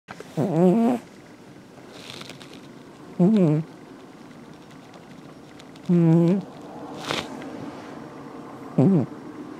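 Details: A pet cat snoring at home: four low, rough, wavering snores, each about half a second long, repeated roughly every three seconds with quiet gaps between.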